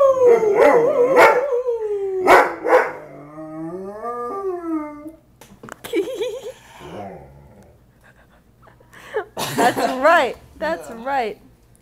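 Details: Dog howling at the fire siren after months of practice; a few sliding howls at the start, then quieter yips and broken wavering notes with gaps between them.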